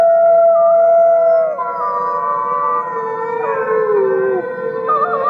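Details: Chorus of gray wolves, fifty animals howling together: overlapping long tonal howls at different pitches, one steady note sliding down partway, then several voices wavering and stepping up and down in a layered, continuous wail.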